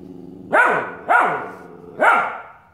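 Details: Australian Shepherd puppy named Nick barking at his own reflection in a mirror indoors; three sharp, high barks about half a second apart, each with a bright, harmonic onset and falling tail.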